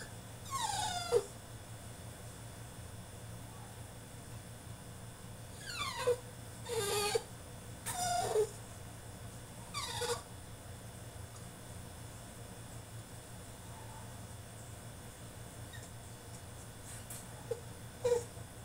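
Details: French Bulldog in his cage throwing a tantrum: bursts of sharp high whines that fall in pitch, clustered early then sparse, with long quiet gaps and a steady low hum throughout.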